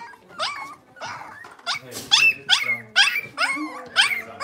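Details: Six-week-old blenheim Cavalier King Charles Spaniel puppies from a litter of five born at New Year, in a home puppy pen. High, rising-falling yelps and whines come in a quick series, about two per second, growing louder toward the end.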